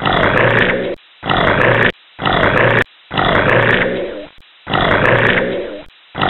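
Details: Alligator: five harsh, broadband hissing growls, each close to a second long, separated by short silent gaps, sounding rough and breathy throughout.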